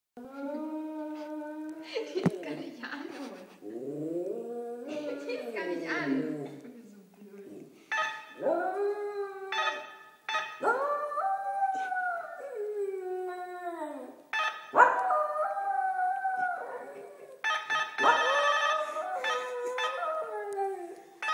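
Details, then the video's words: Laika, a small pet dog, howls in response to the household doorbell: a series of wavering, tonal wails that slide up and down, broken by short pauses, with sharper chime-like onsets heard between the howls. "Laika and the bells!"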